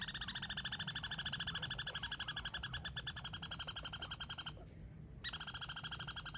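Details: Squirrels fighting over a limited supply of peanuts: a rapid, harmonic chatter of rasping notes pulsing roughly ten times a second, broken by a brief pause before resuming.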